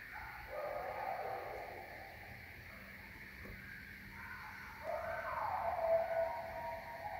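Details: At night in the woods behind a house in Maine, a pack of coyotes howl together loudly, long wavering notes that overlap and slide downward in pitch.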